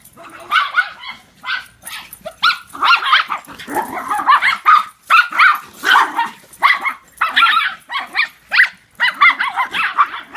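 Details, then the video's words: Dogs at play, two owned dogs plus an in-law's dog, chasing in follow the leader; rapid, overlapping high barks and yelps run nearly continuously, some drawn out into whiny notes. "Funny Dogs Chasing Each Other"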